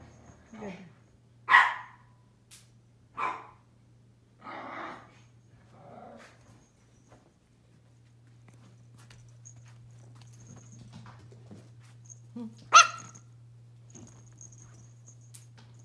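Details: Pomeranian puppy indoors giving a few short, sharp barks in a loose series over the first five seconds, then a single louder yap near the end, with a woman speaking Vietnamese softly between them over a steady low electrical hum.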